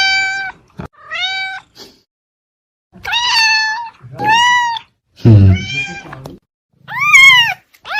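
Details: Domestic cat meowing in a series of drawn-out, harmonic-rich meows, some rising then falling, with short gaps between calls and one lower, rougher vocalisation in the middle.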